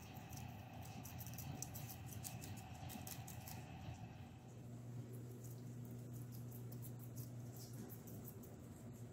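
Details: Guinea pigs crushing vegetables indoors: a fast run of crisp, crunching bite clicks through the first half, fewer later, over a steady low electrical hum.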